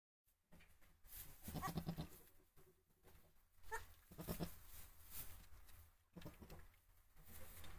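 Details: Black goat in labour on 23 February 2023, labour having begun early morning before two kids were born by evening; two bouts of low, strained, harmonic-rich bleats, each about half a second long, over steady low background rumble.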